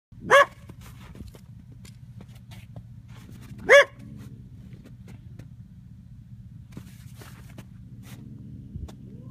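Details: A coyote caught after a snow storm in 2015 gives two sharp, loud barks with a quick upward pitch kick, about three and a half seconds apart, followed by quiet hiss and faint rustling.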